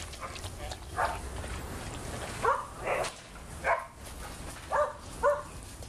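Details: A dog barks during pool play among a group of big dogs, 6/8/11: single, clipped woofs spaced about a second apart. Steady water and background hiss fill the gaps.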